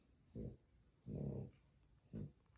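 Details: Sleeping newborn French Bulldog puppies, two young males, grunting in their sleep: three low, throaty growl-like grunts, the middle one longest at about half a second, in a quiet indoor room.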